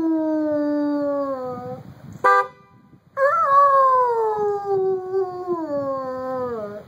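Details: Buddy, a pet dog, howling in response to a car horn: a long sliding howl falling in pitch, a brief horn blast near two seconds, then a louder howl that starts high and slowly descends to the end.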